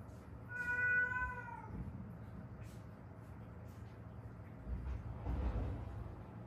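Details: One of a stray cat mother and daughter rescued after seven years in Haeundae with injuries from a traffic accident; a single clear meow that dips slightly in pitch near the start, followed by quiet rustling and low hum.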